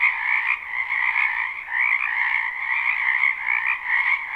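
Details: Spring frog chorus from a wetland behind a house, recorded live without looping: dense overlapping croaking trills in two steady bands, middle and higher pitched, with gentle swells in loudness and no other clear sounds.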